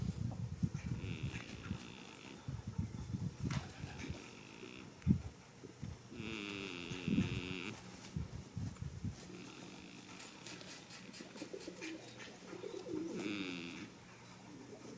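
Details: Sleeping goat in a field on the first day of spring, snoring in low, grating, rhythmic breaths. Some breaths come in quick rasping runs, others stretch longer, with higher buzzy sounds and distant outdoor noise between them.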